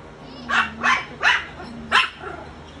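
A Chow Chow–Rottweiler mix gives a quick run of sharp, full-throated barks.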